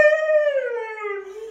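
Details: Siberian Husky, a dog named Phoenix, howling back while being scolded over a mess: one long drawn-out tone, richly harmonic, sliding slowly downward over about one and a half seconds.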